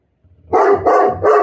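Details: Great Pyrenees female dog indoors, warning away danger whether real or not, gives three loud deep barks in quick succession, about one every third of a second.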